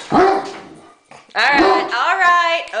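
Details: Great Dane barking at a remote control helicopter at home; one sharp deep bark, a pause, then a longer drawn-out tonal sound as a person speaks reassuringly nearby.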